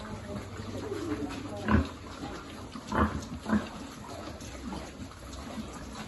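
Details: Piglet being fed among a farm pig group: three distinct throaty grunts, about half a minute's pace of repeats, over a low steady hum and muffled chewing sounds.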